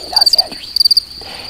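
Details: A male field cricket in a flowering grassy meadow in spring sings bursts of clear, shrill chirps of four or five rapid pulses, made by rubbing its wings together to mark territory and attract a female.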